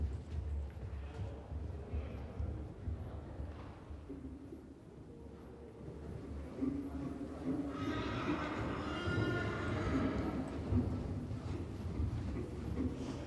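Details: Friesian stallion, young, under saddle at a pre-riding day in Nunspeet, Netherlands, 13 June 2024: a long, strongly harmonic whinny in the second half, preceded by rhythmic hoof thuds, with an instructor's speech and arena noise around it.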